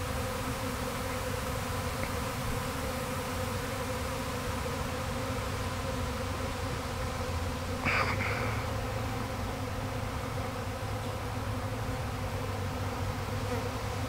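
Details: Honey bee swarm from a hive that swarmed on May 13, 2012, being gathered back by its keeper: a steady, dense buzzing hum throughout, with one brief sharp click midway.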